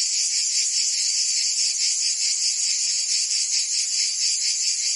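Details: Provence summer cicada chorus in France, a shrill, continuous rasping hiss with a faint rhythmic throb about 140 times a minute, thick and even from start to finish.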